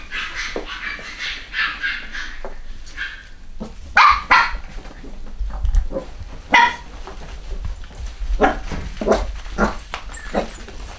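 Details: A UK litter of Cavachon (Cavalier x Bichon) puppies, boys and girls, filmed in 2015. Sharp, high-pitched barks come in scattered bursts, some doubled, spaced a second or more apart, with quiet shuffling between them.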